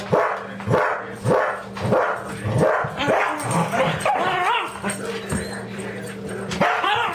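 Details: Two dogs, Daisy and Toby, riled up over a squirrel; Daisy, over-aroused, turns on Toby in displaced aggression. Sharp barks and yips come in quick bursts, mixed with rising, wavering whines and snarly cries; a person's voice briefly heard.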